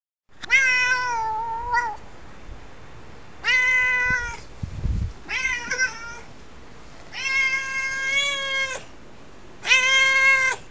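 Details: A pet cat's typical meowing: five long, loud, clear meows spaced about every two to three seconds, each steady in pitch with a slight drop at the end, plus a soft thump between calls indoors.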